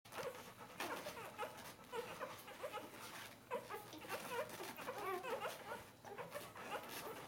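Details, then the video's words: Bernese Mountain Dog puppies, four days old, crowding together while nursing; a continuous chorus of thin, high squeaks and whimpers overlapping from several pups, with short upward and downward slurs and no other clear sounds. "Berner Sennenhund Welpen 4 Tage alt"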